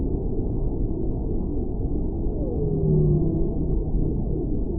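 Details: A whale voices a smooth, falling moan that glides downward over about a second, with a short low hum beneath it, set against constant deep, muffled underwater noise.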